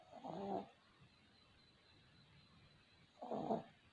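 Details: Sleeping puppies snoring: two soft, breathy snores with a low harmonic rasp, about three seconds apart, each lasting roughly half a second, with quiet room hiss between them.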